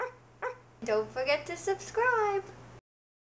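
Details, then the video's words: Puppy Captain Morgan, left alone for the first time, gives two short yips and then a run of tonal howls that rise and fall, ending in one long wavering cry before silence, with a faint steady hum underneath. "Captain Morgan The Puppy's First Howl During The First Time Ever Left Alone"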